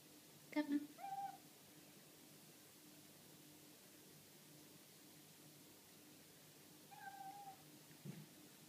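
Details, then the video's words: Indoor pet cat, pleased at spotting a wall nail it takes for a bug, gives two short, clear meows close together, then after a long quiet pause another softer meow and a brief sound; a woman then tells it that is no bug. "獲物を見つけてニャー 嬉しいにゃ"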